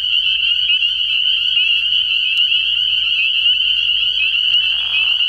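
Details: Early-year spring peepers in full chorus at a frog pond after dark. Overlapping high peeps form a constant piercing wall of sound, with a faint low hum beneath and a soft lower noise near the end.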